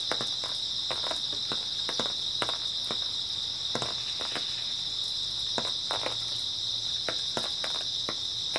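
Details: Early autumn night with grass insects: a dense, continuous high trill runs throughout, mixed with frequent crisp clicking and tapping noises at an uneven pace.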